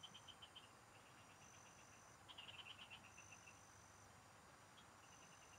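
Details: A chorus of field frogs heard while fishing. Fast series of bright, high-pitched pulses tumble out in overlapping runs, some louder up close, others fainter further off. A constant thin insect whine fills the background.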